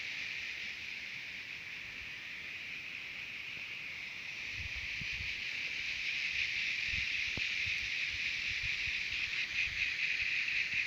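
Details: Shrill continuous buzzing of singing cicadas recorded at Terek-Sai, Jalal-Abad, Kyrgyzstan, growing gradually louder over the clip, with soft low thumps and a brief click in the second half.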